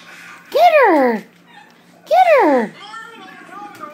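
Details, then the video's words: Two pet rat terriers at play indoors: two drawn-out, arching whining yelps, each rising then sliding down in pitch, about a second and a half apart, with softer whimpers trailing after and a person speaking nearby. "Rat terrier play time"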